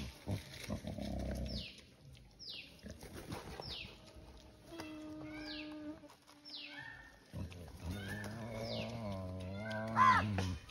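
Wild boar grunt low and rough, breaking into drawn-out, wavering squeals, with sharp falling chirps above.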